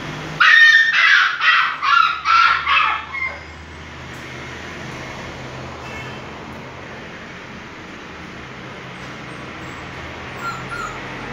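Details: Bullmastiff named Raja barking. Five loud barks come in a fast, regular run within about three seconds, then give way to steady background traffic rumble.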